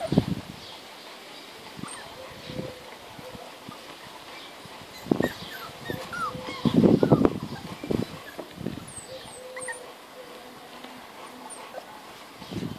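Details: Labrador–Golden Retriever cross puppies, 36 days old, from a yellow Labrador mother and a white Golden Retriever father, struggling up three stairs to reach their mother; thin high whines and squeaks come intermittently amid scrabbling thumps, with a person's voice now and then.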